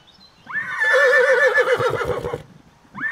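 A young horse neighs in a high, shaky whinny, its voice wavering quickly up and down for nearly two seconds before breaking off. Soft low thumps sound underneath, and a second whinny begins just as it ends.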